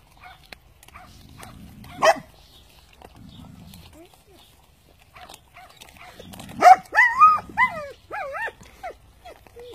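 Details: Cane Corso Italiano puppies eating their food during traditional natural weaning; a human voice and a sharp yelp come first, then a run of thin, bending whines, several in quick succession, tapering off toward the end.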